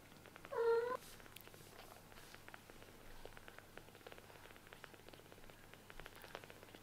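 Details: A single short, high mew from a kitten whose eyes have just opened, heard early on, then only faint clicks and rustles in a quiet room.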